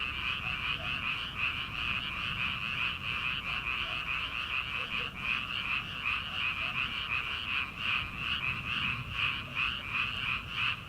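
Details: Frogs calling from rice paddies in early summer, before rice transplanting, late at night: a dense, continuous chorus of high pulsing croaks, throbbing several times a second without pause, with faint night-air background.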